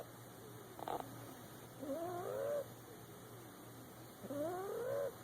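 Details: Sleeping boxer puppy lying in a lap gives whistling snores, each a wavering rising squeak, three breaths spaced about two to three seconds apart over faint background hum.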